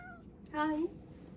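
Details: Satchan, a male rescue cat born around spring 2019, indoors at home in Higashiomi, Shiga, Japan, after finishing a pouch of wet food and pacing back and forth through the house; one short, slightly rising meow lasting about a third of a second in a quiet room.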